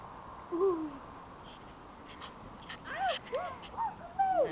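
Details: Young Keeshond puppies: one drawn-out falling whine, a pause, then a quick string of short arched yelps and whimpers, each bending up then down, with faint background hiss.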